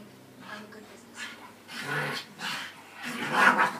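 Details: Staffordshire Bull Terriers indoors as Buddy, adopted from the RSPCA in February 2013, meets his new brother Zac and sister Millie: low growly huffs and panting in three rough bursts over four seconds, with a woman's voice nearby.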